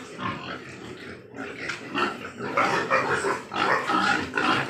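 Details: Farmed Large White Yorkshire pigs in Nadia, West Bengal, grunting and then breaking into louder, rapid squeals in the second half, calls coming almost three times a second.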